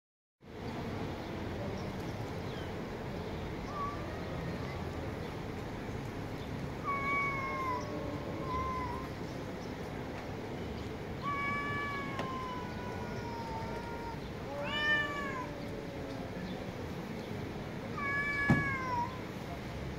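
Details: Street cats meowing loudly: several harmonic meows, some rising then falling, others short and downward-bending, scattered through the clip over a steady low background rumble.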